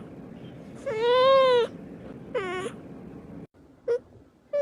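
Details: White cat in a fight with another cat: loud drawn-out harmonic yowl lasting under a second, then a shorter wavering wail, followed by two brief clipped meows, over a quiet room background.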